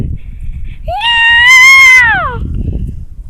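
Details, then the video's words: A cat gives a single loud, high, arched meow lasting about a second and a half. The pitch rises slightly, holds, then falls away, with rich harmonics over faint low background rumble. "Annoying cat noise"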